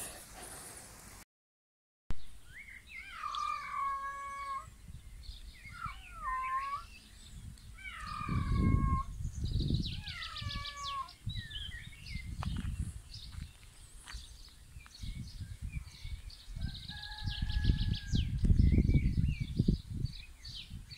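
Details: Kitten meowing loudly: a run of drawn-out, bent harmonic meows, about five in quick succession during the first seven seconds, then softer, shorter mews near the end, over low rumbling handling and background noise.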